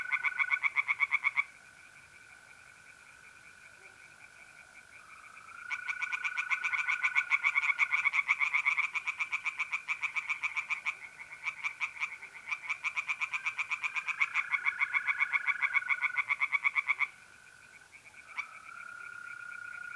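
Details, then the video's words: Tree frogs in a pond at night, mid-April, north-east Italy. Bursts of fast, rattling pulsed calls start and stop in long bouts, separated by quiet gaps where the steady trill of mole crickets carries on. "relaxing singing tree frogs in pond"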